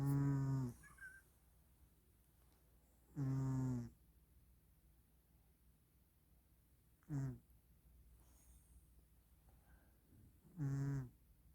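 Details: Domestic cat sleeping over Christmas, snoring in slow low rasping breaths, four snores spaced about three to four seconds apart in a quiet room.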